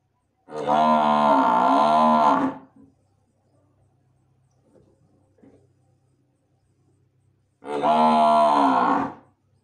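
A Murrah buffalo calls twice with deep, rasping, drawn-out bellows, each lasting about two seconds. The calls are rich and harmonic, with a slight rise and fall, and a quiet pause lies between them.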